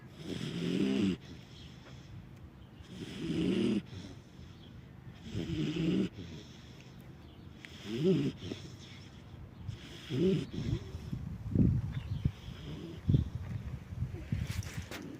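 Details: Sleeping alabai Nargiz, a Central Asian Shepherd Dog, keeps up deep, rattling snores about every two to two and a half seconds, growing shorter and more uneven toward the end, with a faint snuffle near the close.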